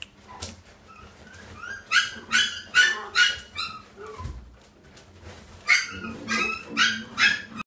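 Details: French Bulldog x Lhasa Apso puppy. Young French Bulldog cross Lhasa Apso puppies let out a run of high, thin yips, several a second, then pause before a second burst. A faint low hum sits underneath.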